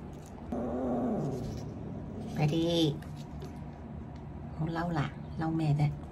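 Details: Burrito, a male pet cat, complains dramatically indoors while being given eye drops. Three drawn-out, arching, harmonic meows come at about 2.5, 4.8 and 5.6 seconds over a steady background hiss.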